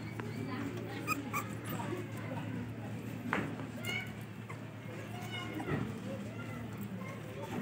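English Cocker Spaniel puppies give thin, high whimpers and yips over a steady low hum.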